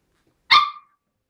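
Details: Seven-week-old white Großspitz (German Spitz) puppy from a litter bred at Villa Bella Berlin, indoors: a single short, high, sharp yap, bright and clean, lasting about a third of a second against silence.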